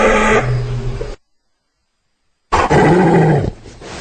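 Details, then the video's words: Hyena making two low, hoarse, droning groans about a second long each, with a short silence between them. "Real Hyena Sound I Sonido de Hiena Real I Vrai Son Hyène"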